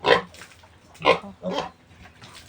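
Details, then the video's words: Weaned piglets of a new sow, given water mixed with vitamins after getting little milk from their mother, three spaced squeals about half a second apart, fading between. "Pagwawalay ko sa mga biik ng bagong inahing baboy"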